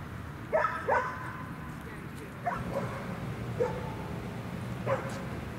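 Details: At Newtown Dog Park in Atlanta, amid high-distraction training, a dog gives a pair of quick sharp barks, then three more spaced barks over five seconds, over a low background rumble.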